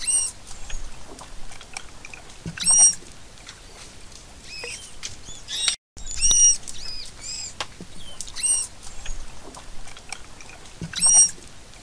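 A dugong gives short, high squeaky chirps in brief clusters separated by quiet stretches.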